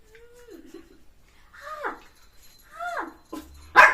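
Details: Puppy at morning time, during eating and play, giving three thin whining yips that slide downward, with a sharp clatter at the end.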